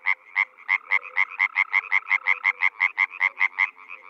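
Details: Croaking European frogs recorded in spring in the Czech Republic, a near frog giving a steady stream of fast, sharp croaks, roughly three per second, with other frogs calling softly alongside.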